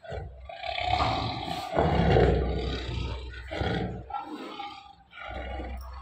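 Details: Captive lions Tony and Malka at feeding time giving deep, hoarse roars in several bursts separated by short pauses, loud and rasping with strong low rumble.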